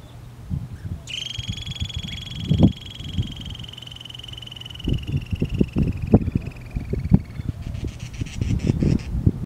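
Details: On 18 May 2023 at the Arizona-Sonora Desert Museum, Pima County, Arizona, a cautious female Harris's antelope squirrel near burrow openings gives a long, high, thin trill call that slowly falls and ends in a buzzy rattle.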